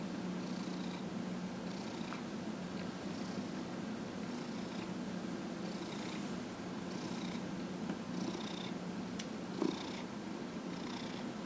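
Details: Massaged pet cat Dillard, 15.5 years old, purring on January 31, 2018: a constant low rumble with regular soft breathy surges about once a second and a brief tap near the end.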